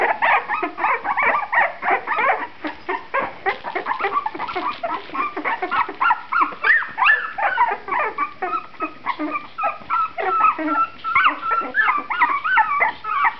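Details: Puppies in a litter, two and a half weeks old with eyes newly open, whimper and squeak continuously. Many overlapping high, wavering whines and yelps come rapidly and irregularly.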